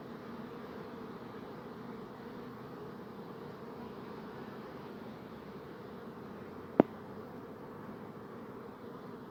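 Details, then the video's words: Honey bees humming in a steady, low drone that holds evenly throughout, with a single sharp click about two-thirds of the way through. "Bee Buzzing Sound"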